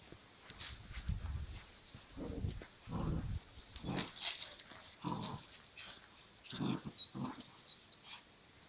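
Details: Belgian Malinois puppy at rope tug play, giving repeated low, gravelly growl bursts of about half a second, with scattered thin higher squeaks and rustling between them.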